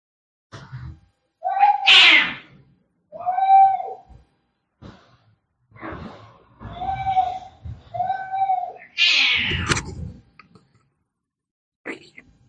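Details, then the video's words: Angry cat fight: short harsh shrieks alternate with several low, moaning yowls repeated every second or two, with scuffling noises between them and a final raspy screech tailing off. "cat fighting sounds - Scary - Sound like K1ds - Very Angry"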